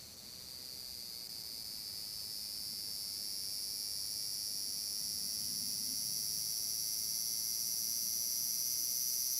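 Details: Summer chorus of large brown cicada at Furuta Magarikawa, Nishinoomote, Tanegashima, 30 July 2022: a continuous shrill hiss-like buzz that slowly grows louder throughout, with a soft low rumble of background noise beneath.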